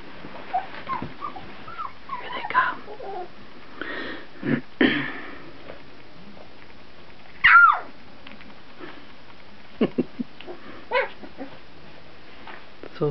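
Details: Two-week-old puppies, fourteen days old, indoors in a small room: one sharp high squeal with a bright tonal sweep near the middle, among scattered soft snuffles, wheezy breaths and small scuffling sounds.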